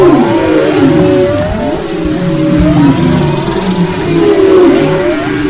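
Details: Song of humpback whales off the west coast of Maui in February 2011, with arching whistled glides, descending moans and layered tones from several voices over a continuous low underwater hum.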